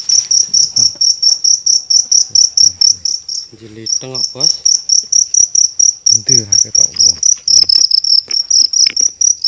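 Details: Big cricket caught on a nighttime hunt in Indonesia, giving a loud, shrill, rapidly repeated chirp of even high pulses that continues almost unbroken while men speak in the background.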